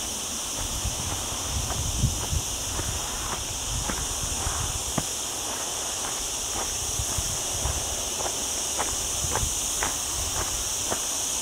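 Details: Cicadas singing during a very hot week on a cloudy day, walking among olive trees in the lower mountain area of Sierra Llana beside a town; a steady, high, unbroken buzzing drone with scattered footstep clicks and rustling underneath.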